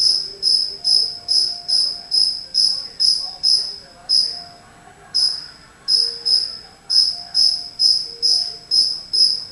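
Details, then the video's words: High metallic chirps from a cricket hidden somewhere in a house, repeated about twice a second with a short break midway and a brief stutter before the rhythm returns, over quiet faint indoor background tones. "Cricket Chirping"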